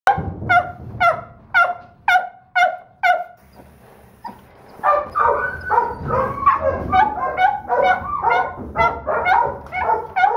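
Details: Female Donovan Pinscher puppy, the smallest of her litter and a third-pick holdback, gives sharp, high barks about twice a second, then a brief pause before a busier run of rougher, overlapping yaps and growly barks.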